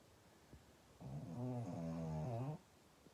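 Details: Pug snoring indoors: one long, low, droning snore with a rattling, harmonic buzz, lasting about one and a half seconds and held at a steady level, with quiet room background before and after.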